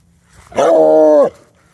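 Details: Treeing Walker Coonhound playing with a stick outdoors: one loud, steady, harmonic-rich vocal note lasting under a second. It starts abruptly, holds a level pitch, then drops off sharply into quiet.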